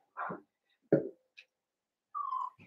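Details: A Blenheim Cavalier King Charles Spaniel puppy indoors in a home puppy pen, one of a New Year's litter of five. It gives two short, separate yips, then a drawn-out nasal whine that slowly falls in pitch, followed by a faint grunt.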